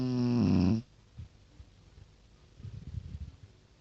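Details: Pekingese dog named Tosha, a pet nicknamed the snorer; a loud buzzy nasal tone lasting under a second opens, then soft low snuffling breaths return in short bursts.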